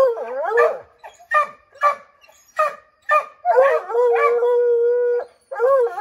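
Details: Redbone Coonhounds treeing a chipmunk in an oak tree, trying to drive it out; short barks repeated about twice a second, then a long steady howl held for nearly two seconds, ending with a rising bawl.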